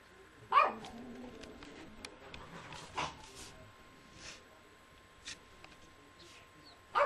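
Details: Tia, a three-year-old pet Yorkshire Terrier in a living room, gives three short, sharp barks spread across several seconds, the first and last loudest, with quiet room background between them.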